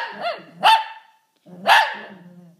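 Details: Pet Shih Tzu barking and howling indoors in reaction to someone sneezing: two loud, harmonic, yelping barks about a second apart, each sliding down into a brief howling tail.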